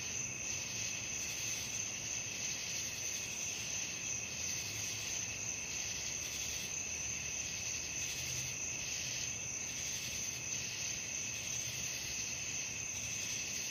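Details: Nighttime cricket chorus, an unbroken high, shrill ringing with regular soft pulses about three per second and a faint low hum underneath.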